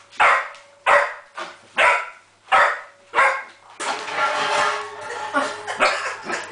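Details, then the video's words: Springer Spaniel named Jenny barking at a copper pot over her lost ball; five loud, regular barks under a second apart, then a rougher, continuous stretch of barking mixed with noise. "Jenny Springer Spaniel Bariking at copper pot"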